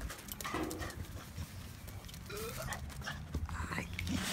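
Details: A male English Cocker Spaniel greets its owners returning home after a day at work with excited, high rising whines and yelps.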